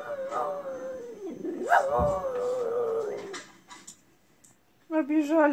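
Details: A female French Bulldog cries along with a crying bulldog on television, a drawn-out, wavering whine that rises into a brief howl.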